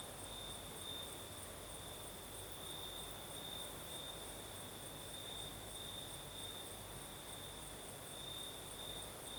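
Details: Crickets chirping through the night in Crimea's south, night breeze: an even, ringing high trill sustained without pause, with a fainter shimmer above it.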